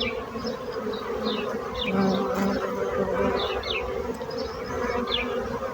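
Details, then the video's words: Bees buzzing in a steady, dense low hum that swells slightly midway, with a few brief high chirps of birds scattered above. "So brutzit abelles - Bees sound - Bees buzzing sound effect"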